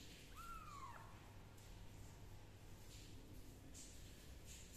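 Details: A kitten being treated for fungus with leaf juice gives a single clear meow near the start, rising then falling, followed by quiet room noise with faint rustling.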